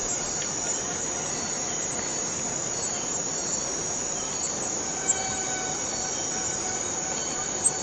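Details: Chorus of forest cicadas making a continuous shrill hiss, unbroken from start to end, with faint whistled tones drifting in the second half and two brief louder ticks.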